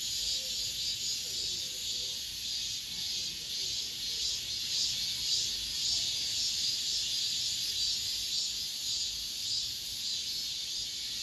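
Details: Late-summer cicadas calling around apartment buildings, their massed high buzz rolling on evenly with faint rhythmic surges; a soft low tone shows briefly near the beginning.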